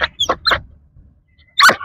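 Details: Rottweiler; bark; trained bark on the speak command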